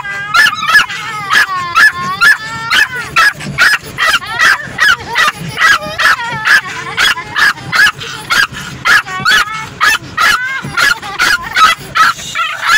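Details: A female Yorkshire Terrier inside a car barks angrily at the moving windshield wipers in rapid, high-pitched bursts, several yaps each second.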